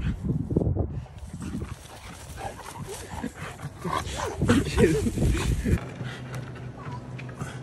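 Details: French Bulldog whining in short, wavering high notes around the middle of the recording, mixed with low thumps, handling noise and people talking nearby.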